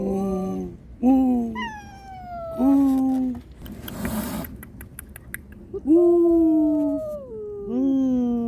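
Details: Domestic cats, a mother warning an unwelcome visitor to protect her kittens and kittens plaintively crying for their mother; a series of five loud, drawn-out harmonic meows, each sliding downward, with rustling between calls.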